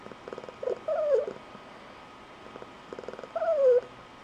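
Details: Adult female Blue Point Tonkinese cat with an unusual squeaky, high-pitched trilling purr; two phrases, each soft pulsed purring rising into a loud squeaky trill that slides downward, about three seconds apart.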